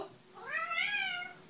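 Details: Sleepy kitten wrapped in a soft towel giving a drawn-out meow that rises then slowly falls, with faint background hiss.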